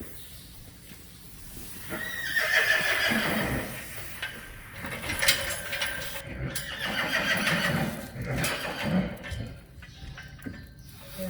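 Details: Friesian horse from a herd kept near Sneek, the Netherlands, neighing with a high, shrill whinny around the second and third seconds amid stable noise, rustling and a soft Dutch-speaking voice.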